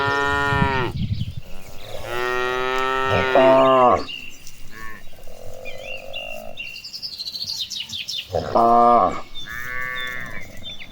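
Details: Cattle mooing while walking toward a green pasture as they are herded; several long harmonic moos of about a second or two, some overlapping, with bird chirps in the background.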